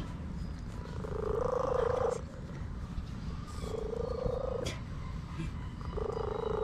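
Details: During a massage, an orange cat repeats three steady, mid-pitched drawn-out calls about two seconds apart, each holding an even pitch, with low background rumbling and faint clicks.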